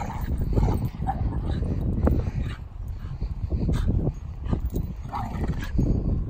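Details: Two rescue dogs, a Doberman and a Staffordshire Bull Terrier, playing together in a garden: short rough growling barks and grunts among heavy thumping, scuffling and panting from the tussle.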